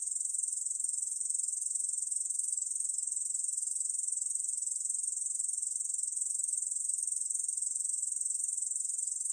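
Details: Korean bush cricket song from the National Institute of Biological Resources, 2020: an unbroken, high, hissing buzz held steady and even throughout, with no other sounds.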